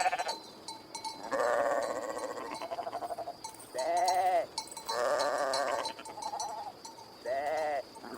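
Sheep bleat repeatedly, with wavering, nasal baa calls about a second long.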